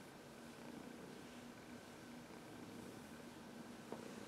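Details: Senior cat Heidi, adopted from the Humane Society of New York City, purrs as she massages herself against someone's knuckles indoors; a continuous even hum with one brief click near the end.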